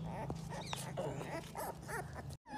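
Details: Dax bloodline American Bully puppies in Hoshiarpur, Punjab, letting out short wavering whines and yelps in quick succession over a low background hum, ending with a brief cut to silence.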